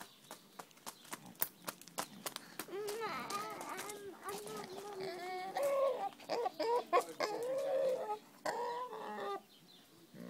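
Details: A female Vietnamese pot-bellied pig, who spends all day with a hen, mimics the hens' clucking: rapid hen-like clucks and short crooning notes, several each second, rising and falling, with sharp knocks and clicks around them.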